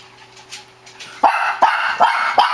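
A Shih Tzu gives a run of sharp, high barks, roughly one every half second.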